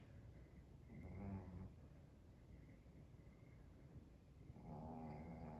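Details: Sleeping dog snoring softly: low, rough rumbling breaths with a buzzier, throaty snore near the start and another rising toward the end, over a quiet indoor background.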